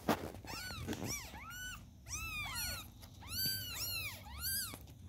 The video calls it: Newborns Kittens Calling Their Mom 🤩